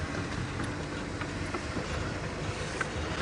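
A steady low engine rumble from a moving vehicle fills the recording, with no animal calls standing out.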